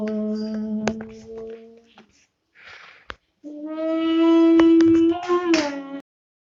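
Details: Two-month-old long-coat German Shepherd puppy howling: a steady, drawn-out tonal wail fades after about two seconds. After a short pause, a louder, rich, sustained howl holds its pitch, then breaks into higher strained notes before stopping abruptly.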